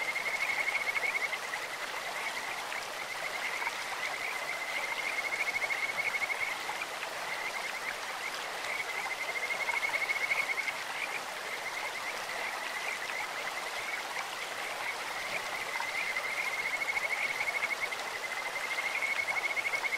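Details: Kajika frogs in a clear stream give repeated bouts of bright, high trills that swell and fade roughly every five seconds, several callers overlapping, with a constant wash of running water behind.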